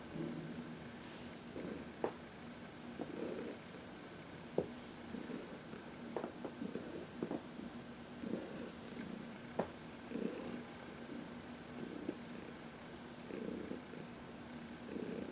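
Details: Heidi, a 14-year-old senior domestic cat adopted from the Humane Society of New York City, purring contentedly while massaged in the sun on March 19, 2021; low rumbling purr in soft breathing pulses, with scattered sharp clicks and rustles.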